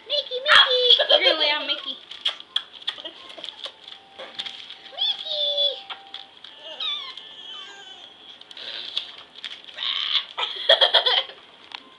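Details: Five Pomeranian puppies playing together on a floor indoors, giving high squeaky yips and short whines, with one drawn-out falling whine midway, amid scuffling, clicking paws and bursts of excited squealing near the end.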